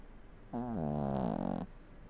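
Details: Indoor recording of a seven-year-old Toy Poodle snoring: one rasping breath of about a second, a low buzzy drone with wavering harmonics that swells louder and rougher toward its end, then stops abruptly.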